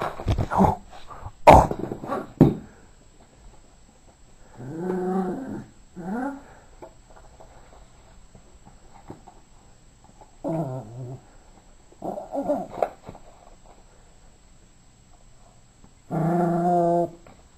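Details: Yorkshire terrier playing with a ball and toy growls in low, rumbling bursts of about one second each, spaced irregularly, after a few sharp knocks.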